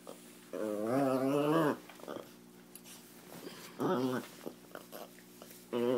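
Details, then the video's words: Pet chihuahua indoors, wrestling and turning jealous when a Doberman gets attention, making unearthly sounds: three loud warbling, moaning growl-whines with wavering pitch, the first about a second long, then two shorter bursts, over a steady low hum. "Devil Dog jealous chihuahua making unearthly sounds!!!"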